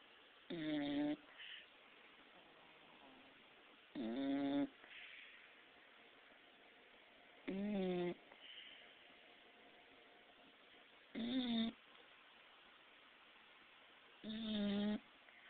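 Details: Cuda, a six-month-old handicapped Pit Bull, snoring loudly: five nasal, tonal snores with a buzzy, harmonic voice, each about half a second long and coming every three to four seconds, with a quiet room between breaths.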